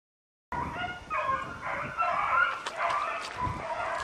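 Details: Beagle pack hunting roe deer on foot, chasse au bâton; after half a second of silence, several dogs give overlapping baying cries, a continuous ringing chorus of yelping voices with crackling sounds from the brush.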